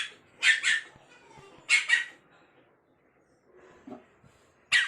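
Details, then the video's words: Snow-white spitz puppy, upset at being left up on furniture, lets out paired high yaps, a soft low whimper, then another sharp bark, in a small quiet room. "Puppy angry when put on a height"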